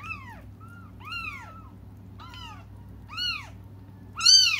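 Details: Cats crying while waiting for their mother: five clear, high meows, each arching up then falling, spaced about a second apart, the last one loudest, over a steady low indoor hum.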